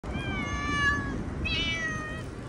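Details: Domestic cat outdoors, meowing while a man asks the cats in Hindi whether they have eaten: a long, slightly falling meow, then a shorter, higher, rising meow with a faint rumble of background noise.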